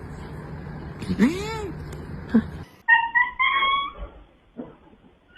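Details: Pet house cat making odd, unusual vocal sounds: a curved, wavering yowl with many overtones, a short chirp, then a clear, steady tonal meow that rises slightly, in a quiet room.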